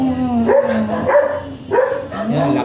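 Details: At Bugallion, Pangasinan, a teacup Pomeranian stud lets out three brief, high barks spaced about half a second apart, with human voices in the background.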